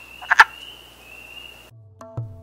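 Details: Wood frog giving two quick, rasping clucking croaks in rapid succession near the start, with a steady high tone underneath and soft tonal music following.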